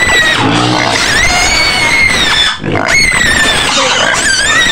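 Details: White pig screaming repeatedly in its pen on the outskirts of Medan: shrill, high squeals with sliding pitch, continuous and harsh, with music in the background.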